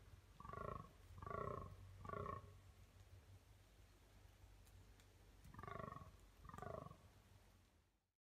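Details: A red deer stag gives short, deep, rasping roars in two bouts during the rut at Domaine d'Aristée.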